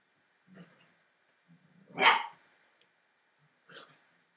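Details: Entlebucher Mountain Dog puppies, 43 days old, from a litter born 28 December 2013: soft low grumbles lead into one sharp, loud yappy bark, followed by a shorter, quieter yelp against a quiet background.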